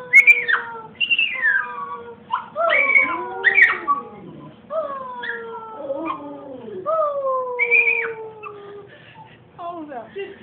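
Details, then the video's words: Happy dogs singing along with their owners: long, wavering howls that slide and bend in pitch, several voices overlapping with whining rises and falls, continuing throughout. "Singing dogs and their pet parents"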